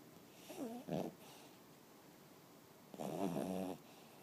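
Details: Nicky, a pet dog, snoring: a brief wavering snort is followed shortly by a second grunt, then a longer rasping, buzzy snore about two seconds later, all against quiet indoor stillness.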